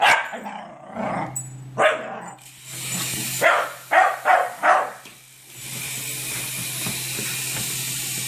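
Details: Scotties chasing a toy bark in quick bursts, several sharp yaps packed into the first five seconds, then a broad hissing rustle takes over with a constant low hum underneath.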